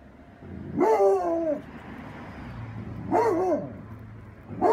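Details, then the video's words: A Basset Hound howls at a cat with long, wavering howls that rise and then slide down, repeated with pauses. "basset hound howls at cat!"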